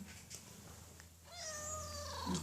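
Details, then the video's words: Cat asking to be fed, voice sounding unusual: after a quiet start with faint background hum, a clear, tonal meow rises slightly and then sinks away over about a second. "kucing minta makan dengan suara aneh"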